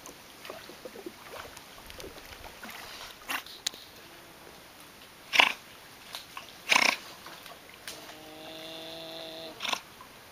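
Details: Giant otters watched on the Jauaperí River in the Xixuau-Xiparina Reserve, Amazonia: two short, harsh broadband bursts, then a steady, buzzy harmonic whine lasting about two seconds, over quiet background.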